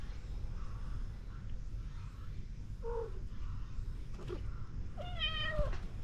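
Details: Domestic cats lounging in a back alley as someone approaches and a ginger tabby nibbles the hand: a brief faint mew near the three-second mark, then a clear drawn-out meow that dips and rises at its end, over a constant low rumble.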